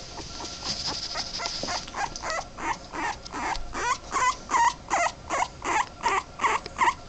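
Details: Male Boston Terrier pup, two and a half weeks old, giving a steady run of short, squeaky whimpering cries, roughly two each second, growing louder and more regular toward the end over soft background hiss.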